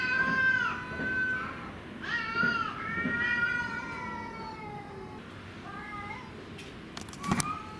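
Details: Cats arguing in a fight, calls turning more pitiful after the quarrel; wavering yowls repeated in uneven bursts, pitch sliding down, fading weaker toward the end with a brief click-like noise.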